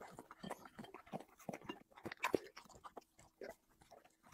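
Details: Dog eating chicken and vegetables, mukbang style: separate bites and soft crunches every half second or so, with one louder snap near the middle and short quiet gaps between mouthfuls.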